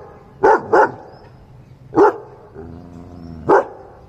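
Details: German Shepherd barking on command: deep, sharp barks, a quick double bark then single ones, with a person's voice briefly between.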